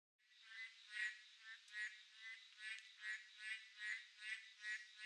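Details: A chorus of boreal digging frogs (Kaloula borealis) on a midsummer night, nasal bleating calls overlapping and swelling about once a second.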